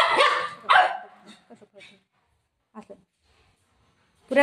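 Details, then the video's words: Shih tzu at play with a ball and a golden retriever at home: two quick, harsh barks at the start, then faint scuffling and near silence before another sharp bark at the end. "shih tzu barking video"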